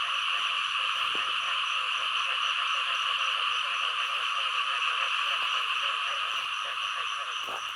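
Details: Many frogs, both larger and small kinds, chorusing in Thailand: a continuous high-pitched buzzing mass of calls with quick repeated croaking pulses underneath and a couple of brief clicks.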